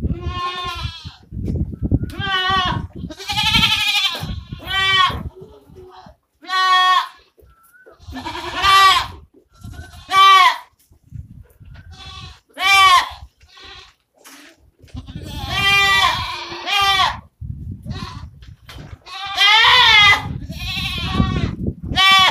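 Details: Osmanabadi goats on a goat farm, bleating loudly and repeatedly, strong harmonic wavering cries coming in quick succession with short gaps, some longer quavering bleats near the end, low background thumps between calls.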